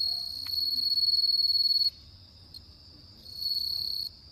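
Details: Bell cricket on an autumn night producing a loud, pure, high ringing trill for about two seconds, a quieter pause, then another bright ringing burst, over a soft background hum.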